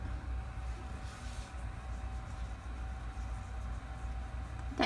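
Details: Steady low engine rumble, like a passing or idling vehicle, with a faint constant mid-pitched hum and no animal voices.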